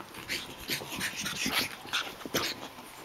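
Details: Japanese Chin puppies, Hestia, Asti, Fizzie and a baby girl, playing indoors: short high yips and whimpering squeaks in quick irregular bursts, with a person's scolding voice nearby about biting too hard.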